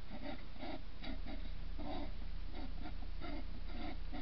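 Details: Loud early-morning fight between two hedgehogs at a feeding station: harsh puffing snorts in a quick regular pulse, roughly three bursts a second, each a short, breathy, rasping chuff.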